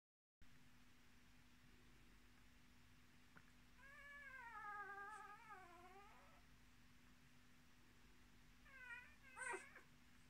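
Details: Miniature Australian Shepherd puppies, born 10 March 2020, in a litter of six with their mother: a soft, long, wavering whine that dips and rises, later a few short rising whines, over a steady electrical hum.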